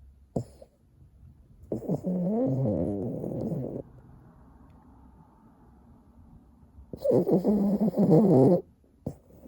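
A Boston terrier snoring in deep sleep, with long rattling, throaty breaths separated by quiet pauses.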